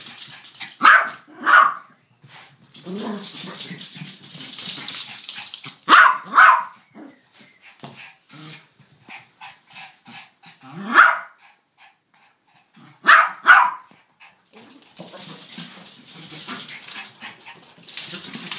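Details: Barking from one of two dogs kept together, a Yorkshire Terrier and a King Charles Spaniel. Sharp barks come mostly in pairs, with one single bark, spaced several seconds apart between quieter shuffling and movement noise.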